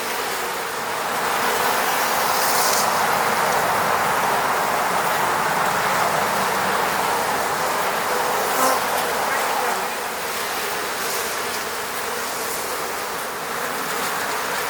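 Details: Many honey bees buzz around their hive at an apiary in the Moscow region, a dense, steady hum with a low droning tone; Western honey bee.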